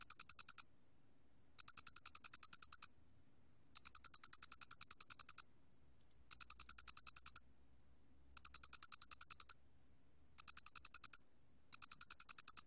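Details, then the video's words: Square-headed cricket, 2020 recording by Korea's National Institute of Biological Resources: shrill pulsed chirps in long bursts of many rapid clicks, repeated after short pauses, with nothing else audible. "모대가리귀뚜라미, 1번 듣기, 곤충소리"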